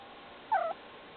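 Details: Domestic cat making noise with a single short meow that drops in pitch, heard against faint background hiss.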